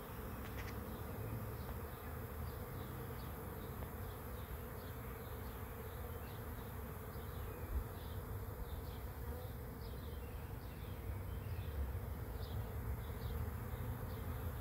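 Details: Arriving bee swarm at a swarm trap: unbroken low droning buzz that grows slightly louder toward the end, with a scatter of faint, high bird chirps above.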